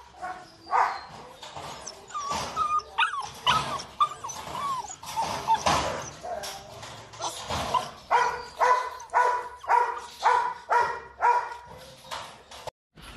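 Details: Wrinkle-faced Rottweiler puppies at a kennel in Vietnam, with mixed whimpers and whines at first, then a regular series of high yelps about every three quarters of a second toward the end.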